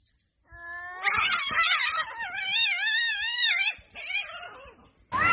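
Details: Cats in a street fight: long, drawn-out wavering yowls with rich harmonics that rise and fall in pitch, sustained for several seconds with a short break, then a sudden harsh outburst at the very end.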